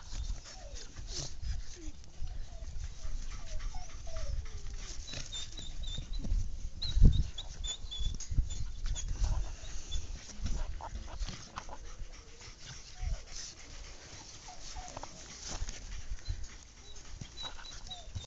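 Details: English Cocker and Lab puppies at play, giving short, thin whining squeaks that rise and bend, scattered through the recording over steady low rumbling and scuffling handling noise.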